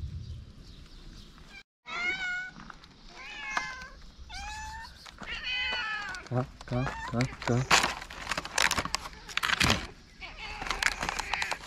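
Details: Homeless street cats in Morocco, fed daily, meowing on seeing the person who brings food: several cats call over one another with wavering, drawn-out meows in quick succession, mixed with clattering and rustling handling noises.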